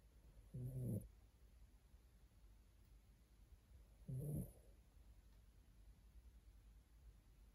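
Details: Sleeping poodle snoring: two short, low, rough rumbling breaths, each about half a second long and roughly three and a half seconds apart, with quiet room hush in between.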